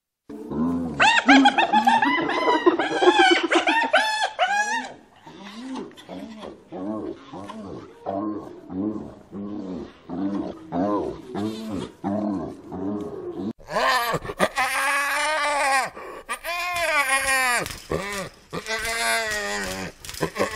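A spotted hyena giggles in rapid, high-pitched, staccato bursts that rise and fall like manic laughter.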